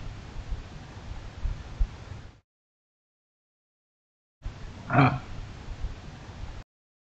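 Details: Male kangaroo in a front yard in Australia, angrily threatening another kangaroo: after low rustling background noise and a pause, one short, harsh, growling snort swells and fades within about a second.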